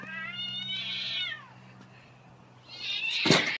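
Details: Domestic cats fighting through glass: a drawn-out meowing yowl that rises and falls, a short lull, then a second harsh yowl ending in a sharp burst, with a low steady hum underneath.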